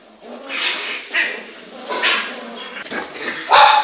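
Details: Playing or fighting Sealyham Terriers give harsh growling snarls that swell in bursts, ending in a sharp higher yelp or bark near the close.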